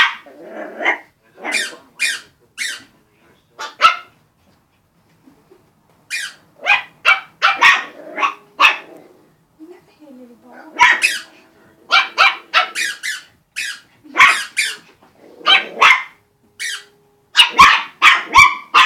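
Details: Puppies playing with a balloon and a squeak toy give sharp, high yapping barks in quick bursts of several, with brief lulls around five and ten seconds before the barking picks up again.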